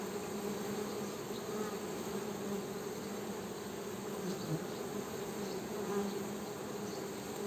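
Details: Continuous droning hum of honey bees, low and steady with a higher overtone layer, the loudness rising and falling gently as bees move about; no other clear sounds.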